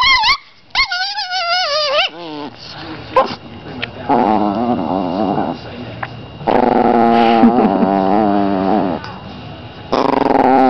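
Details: An angry Chihuahua growls in drawn-out, wavering, whiny tones that rise and fall in pitch. Long bursts alternate with brief pauses, and a loud final stretch starts near the end.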